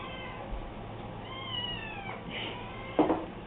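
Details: A cat at dinner gives a couple of soft drawn-out meows that slide downward, followed by a short sharp sound near the end, over low indoor background noise.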